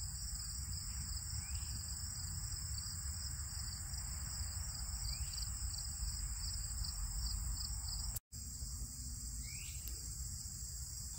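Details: In a late-summer prairie at a nature reserve, crickets, including field crickets, chirp in a steady high-pitched chorus over low rumbling background noise; cicadas and grasshoppers are also present.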